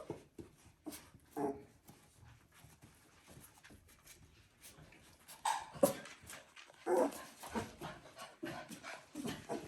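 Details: Border Collie puppies at three weeks old: scattered soft squeaks and rustling at first, then a few louder, strained whimpers and yelps in the second half.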